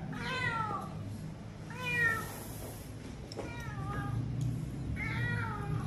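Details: Injured cat hit by a vehicle, jaw broken, rescued from a roadside drain and taken to a veterinary clinic around New Year; several drawn-out, falling meows, about four in six seconds, over a low steady hum.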